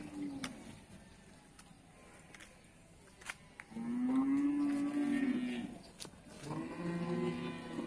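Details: At the Bumiayu cattle market in Indonesia, one deep, loud, long moo holds steady for over a second, then a second lower call follows, after a quieter stretch of clattering market noise.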